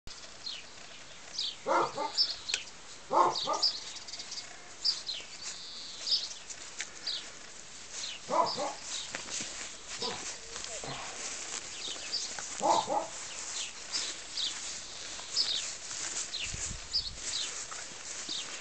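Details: Tibetan Mastiff puppies with FCI pedigree, Wanga and Xena Dharmapala, in a large enclosure in 2019. A few separate rough barks come at irregular gaps over steady high chirping from wild birds nearby.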